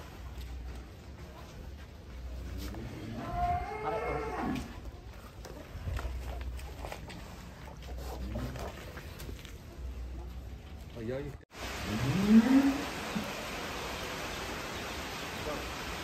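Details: Several giant champion contest cattle being led out of their barn in Indonesia, one low drawn-out moo rising then falling near the middle and another stronger moo after a cut, with clapping, chatter and background hum.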